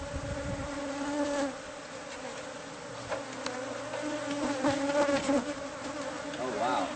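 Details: Bees in a colony concealed within house walls, disturbed during a pest-control removal. A continuous deep buzzing drone holds steady, with faint rustling and soft knocks and a short low mechanical tone midway.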